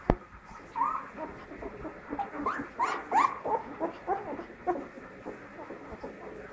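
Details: Pit bull puppy taking its first steps, giving short whiny yelps and whimpers, rising then falling, in an irregular string of quick calls with soft background noise.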